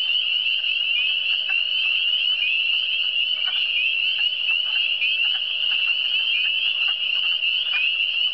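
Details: Frogs in the Eastern Townships calling as a dense chorus: a continuous high, shrill, trilling band, with faint clicking calls scattered underneath and no other clear sounds.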